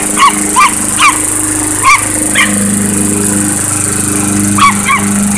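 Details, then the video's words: Chihuahua confronting a lawnmower, giving sharp high-pitched yaps, about eight barks spaced roughly half a second apart with a short gap midway, over the constant droning hum of the mower engine. "Lawnmower vs Chihuahua"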